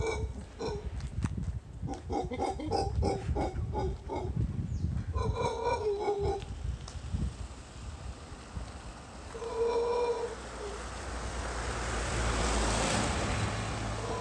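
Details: Wild howler monkeys in Samara, Costa Rica: deep, guttural grunting roars in rapid rough bursts over the first seven seconds, then a short tonal call near ten seconds, with a steady broadband hiss of wind or surf behind.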